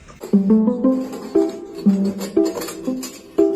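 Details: Plucked string music, possibly guitar or ukulele, plays a short repeating melodic phrase. No animal voice stands out above the instrument.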